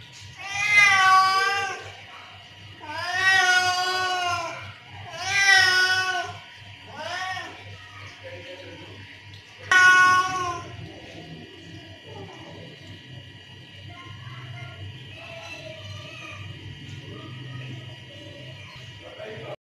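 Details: Angry cat calling to other cats, several drawn-out wavering meows in quick succession followed by a shorter sharp one, then quieter scattered sounds over a steady background hum.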